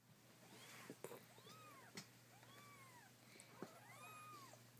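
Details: Kittens mewing: several thin, high arched mews at irregular intervals, overlapping one another, with a few sharp clicks and a steady low hum underneath.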